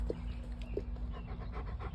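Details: Pet dog named Bo panting during an outing with his owner: quick, breathy bursts of noise repeated in a steady rhythm, over a constant low electrical hum.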